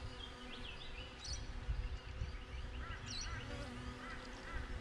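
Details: Buzzing honey bees at a beehive, recorded by a GoPro outside it: a low, continuous hum beneath repeated, clear chirping and twittering of birds.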